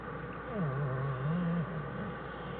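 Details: American black bear Jewel and her cubs Fern and Herbie in their winter den, January 1, 2013, from a Wildlife Research Institute study; a single low, wavering moan-like tone lasting about a second rises above a steady background hum.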